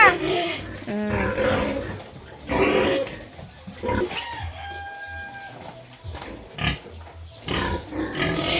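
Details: Sow being moved by people, giving loud, harsh squeals in short bursts with wavering pitch, separated by quieter grunting; human voices and a steady low hum run underneath.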